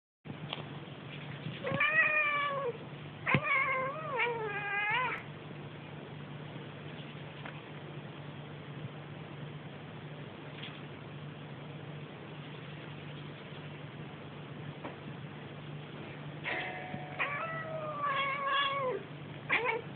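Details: Pet cat named Lily making funny noises indoors: a burst of wavering, bending meows with trilled chirps, a long quiet gap, then another run of stretched, rising-and-falling meows; a steady low hum underneath.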